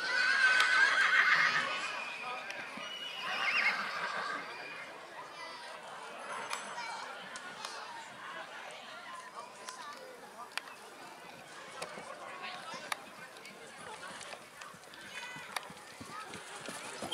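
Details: Young Black Forest Coldblood stallion foal at the Kohlenbach foal show, Germany, 13 August 2022; two shrill whinnies early on, then continuous human chatter and occasional hoof clops in the background.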